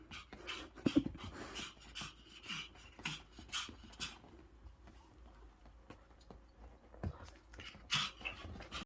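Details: Pet dog greeting its owner back from a business trip, panting so fast it sounds like a fan: rapid airy huffs in uneven runs, louder near the start and again near the end, over a quiet room.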